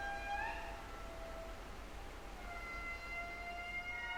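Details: An indri's song from a passive acoustic monitoring array in Madagascar: long, wailing, siren-like tones that hold steady and then glide slowly in pitch.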